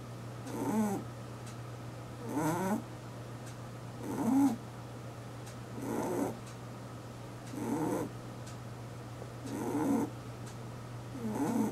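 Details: Eight-year-old pet rabbit asleep at home, snoring: soft wheezy breaths with a raspy, slightly nasal texture, each lasting under a second and repeating roughly every 1.7 seconds over a steady low electrical hum.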